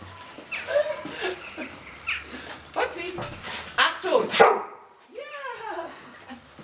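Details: Pet dog barking on command, giving short, hoarse, broadband barks in uneven bursts mixed with whimper-like tones, while a person speaks between and over the barks.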